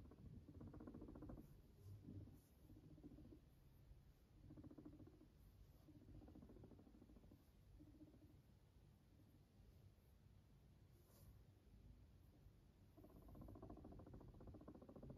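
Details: Pet guinea pig purring indoors: several short low, buzzy, rapidly pulsed bursts spread through the recording, separated by quieter gaps with faint room noise.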